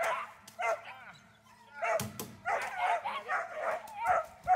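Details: German Shepherd named Dornan barking during protection training: loud, harsh barks in uneven bursts, one broad explosive bark near the middle, with human voices mixed in throughout.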